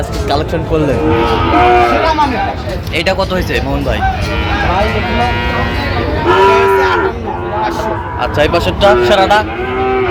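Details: Sahiwal bull calves at a cattle market in Sylhet, Bangladesh, 26 September 2025: several overlapping moos, some rising and falling in long harmonic arcs, with busy background chatter and occasional clatter.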